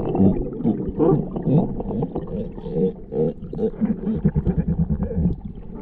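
Galapagos sea lion giving deep, rough, repeated barking calls in quick bursts.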